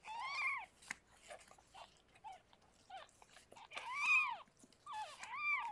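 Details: Harlequin, a rescued pregnant cat, giving birth to six kittens in foster care; drawn-out rising-then-falling cries, loud and strained, separated by short gaps with small rustles and clicks.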